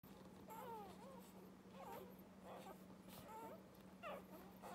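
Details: Irish Red and White Setter puppies from a litter of nine, four females and five males, born to Avie and Callum; faint, thin squeaky whimpers rising and falling in pitch, repeated several times over a steady low hum.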